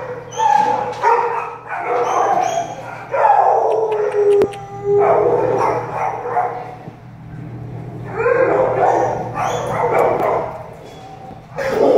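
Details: Shelter-born American Staffordshire Terrier puppies give high-pitched yapping barks and whiny yips in overlapping bursts, sometimes drawn out, with short pauses between the volleys.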